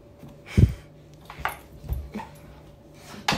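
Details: A Labrador Retriever torn between lazing and playing gives short, low huffs and grunts, four or five brief bursts spread over a few seconds, with a soft whine between them, in a quiet room.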